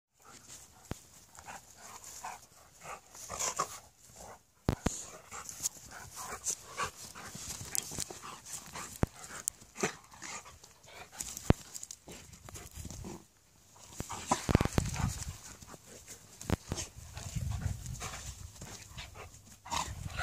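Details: Malamute and Husky play-fighting in a friendly way, heard as scuffling, panting and short growly grunts with scattered clicks and thumps, no clear barks.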